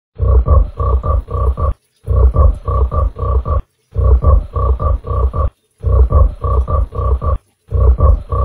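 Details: Giant frog shown with a mud fish, giving deep, grunting croaks in tight bursts of five or six pulses; each burst lasts over a second, with brief silences between, repeating about every two seconds.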